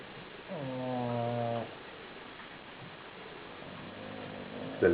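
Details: Female bulldog Didi gives one clear, droning, harmonic snore of about a second, followed by quiet breathing in a small room.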